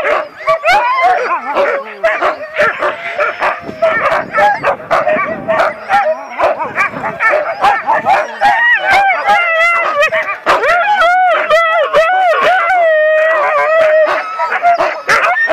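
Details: Excited Siberian Husky at a dog sledding camp in Ushuaia, southern Argentina, crying while waiting to run; long bending whines and warbling howls with yelps, over a steady chorus of barking from other eager sled dogs.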